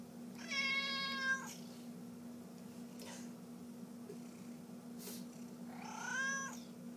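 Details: Male domestic cat meowing indoors: a long, rich meow that holds steady, then a shorter rising meow about five seconds later. A steady low electrical hum is heard between the calls.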